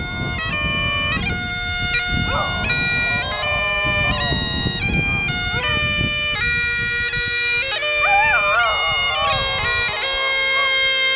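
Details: A dog singing along to bagpipes, its wavering, sliding howls rising and falling beneath loud, steady droning bagpipe music, with the bends clearest near the end.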